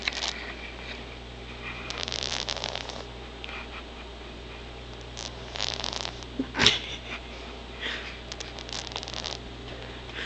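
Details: A sleeping male pet cat with a bad cold snores in raspy, breathy bursts about every three seconds, with one sharp click midway and a steady low hum behind.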